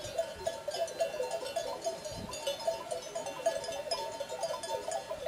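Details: Mixed herd of sheep and goats at the Col du Galibier in the French Alps: overlapping bleats form a steady, wavering mid-pitched drone throughout, with clinking bells and faint outdoor background noise.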